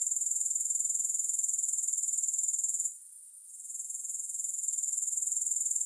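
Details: Grasshopper sound without music: a dense, piercing, pulsing trill at very high pitch. It dips to near silence for about half a second around three seconds, then gradually returns. A faint tick is heard later.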